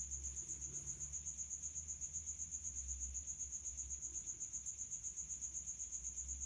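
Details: A male house cricket (Acheta domestica) stridulates its wings in high heat, giving rapid, high, shrill chirps, about four each second, in a steady, even rhythm. It is an escaped feeder cricket hiding in a resonant spot indoors.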